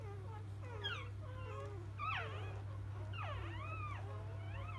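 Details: Newborn Labrador Retriever puppies of field lineage give a few loud, swooping squeals that rise and fall in arcs, with softer whines between them, against a low continuous hum.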